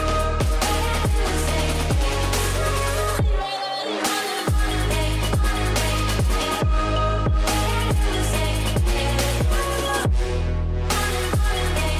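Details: Loud electronic dubstep track with heavy bass drops and pounding drums and no animal sounds.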